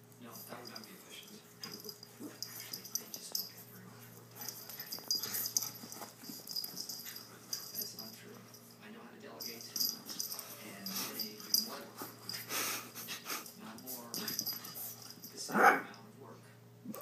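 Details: Pet dogs Chubbles and Cuteness wrestling roughly, Cuteness finally turning the tables: repeated breathy wheezing snorts and huffs in irregular bursts, with scuffling, a sharp louder burst near the end, and human voices in the background.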